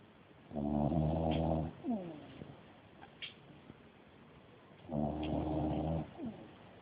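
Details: Napping dog snoring heavily: two long buzzy harmonic snores about four seconds apart, each followed by a brief falling snort, with low background hiss between.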